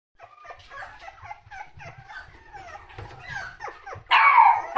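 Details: Lively toy poodle giving a rapid run of short, high yips and whimpers, several per second, ending in a louder, harsher bark burst.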